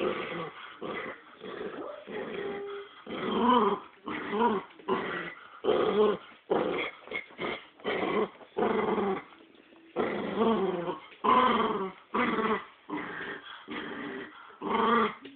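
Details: Pet dogs fighting over a squirrel toy, producing repeated rough growls and snarling bursts separated by short gaps, with a few higher whiny yips between the deeper rumbles.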